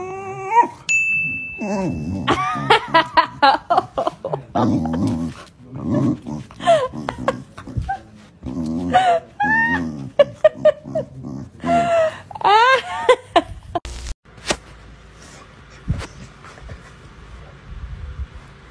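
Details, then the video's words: Pet dog trying to wake its owner in the morning: a long run of high, wavering whines and short yelps, some sliding up and down, packed into about twelve seconds, then fading to quiet room noise. "Cute ANNOYING DOGS WAKE UP OWNERS 😂 Cutest Fur Alarm Clock"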